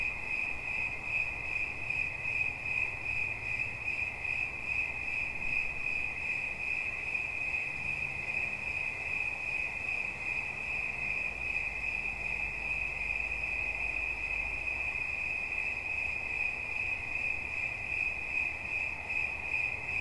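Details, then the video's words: Cricket chirping as relaxation sounds: a steady, high continuous trill with rapid pulsing, unbroken throughout, over faint low rumbling. "Świerszcz. Dźwięki relaksacyjne"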